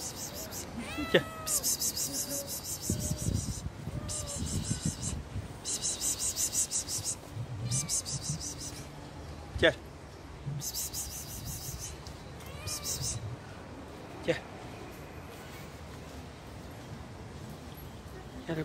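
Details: Stray street cats chasing a person for food: one sharp bright meow early, then bursts of high rustling or crinkling noise, a few clicks and taps, and another faint mew later amid outdoor background hiss.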